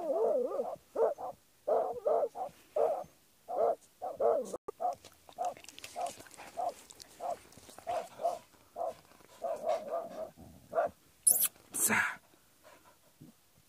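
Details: Jagdterrier working badgers, steady series of separate yelping barks about twice a second, fading toward the end, where a couple of sharp knocks or scrapes sound.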